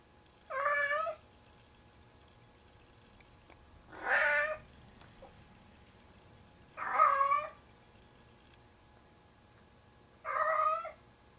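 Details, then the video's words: Nightly bedtime ritual of Tigger, a 25-pound pet cat carrying a pair of socks he treats as his kitten: four strained, harmonic-rich meows spaced three to four seconds apart against a quiet room. "Tigger and His Kitten (Sound UP)"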